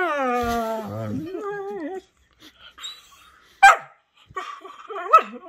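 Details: Pet Whippets Henry and Vinny playing rough chew games; a long, harmonic, descending howl-whine slides into wavering moans, then a sharp yelp and a final warbling whimper.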